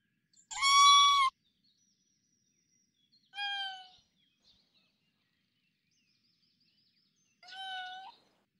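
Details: Forest recording of a tanuki (raccoon dog): three separate tonal, harmonic whines, each under a second long, spaced roughly three to four seconds apart. The first is loudest and the later two softer, with silence between.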